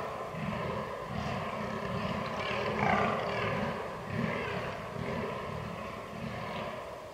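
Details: Fallow deer in the rut, recorded 22 October 2022 on a Canon R6: a steady run of deep, rough groans pulsing in quick succession, with a hoarse, grating edge swelling around the middle of the clip.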